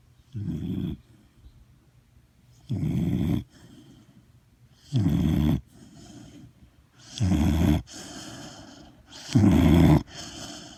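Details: A sleeping dog snoring loudly, five broad low rasping snores with strong low-frequency rumble, repeated roughly every two to two and a half seconds, separated by quiet breathing pauses.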